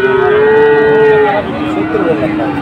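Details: Moo of a Sahiwal bull at a Dhaka cattle market in Bangladesh, 16 September 2024. A sustained, even tone lasts about a second and a half, then fades into a lower, droning call amid market bustle.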